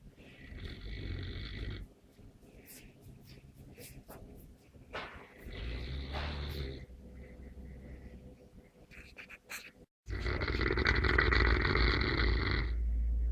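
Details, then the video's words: Deep snores from a Neapolitan Mastiff: a rough rumbling breath, a softer one a few seconds later, then a long, loud, gravelly snore at the end, with small snorts and soft breathing in between. "Snoring Mastino"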